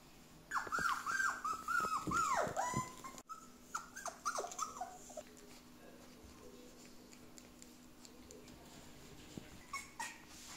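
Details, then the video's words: Border Collie puppies being socialised at home whimper in a string of high thin wavering whines, loud at first then fading to faint scattered squeaks, in a quiet room. "Border Collie - Socjalizacja Domowa"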